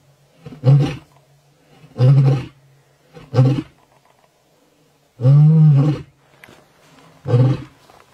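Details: Large wild lion in the Maasai Mara, Kenya, roaring: a sequence of five deep, grunting pulses, each under a second long, spaced roughly one to two seconds apart, the fourth longest and loudest, in quiet surroundings.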